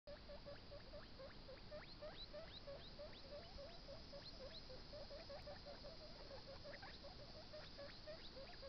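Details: Baby guinea pig eating a carrot: quick, steady crunching bites repeated several times a second, each a short gnawing click, over a constant low hiss of background noise.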